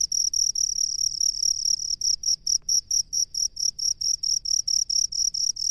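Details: A rice-field cricket's shrill, ringing chirps, blurred into a steady trill at the start before breaking into crisp pulses repeated roughly twice a second, over a quiet low rumble.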